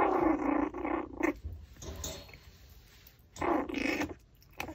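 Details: A Pomeranian chewing a raw pork backbone growls low and rumbling in two stretches, with crunching and gnawing noises in the gap between them.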